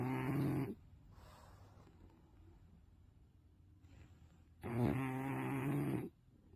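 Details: A sleeping English Bulldog snoring indoors: two loud, rough, low snores of about a second each, separated by a quiet stretch of soft breathing.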